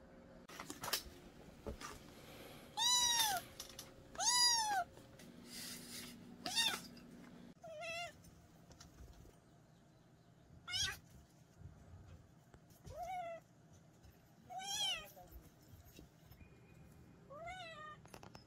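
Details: Young country cat, a kitten from a mountain village, meowing in a series meant to repel rats in the countryside; about eight arched, harmonic-rich meows come at irregular intervals, with faint clicks and low background hum between calls.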